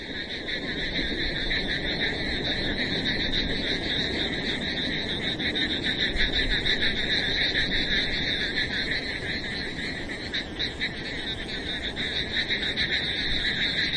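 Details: Frogs calling in the rain in the wilderness, a dense pulsing chorus of trilled calls in two bright bands, steady throughout over a wash of rain noise.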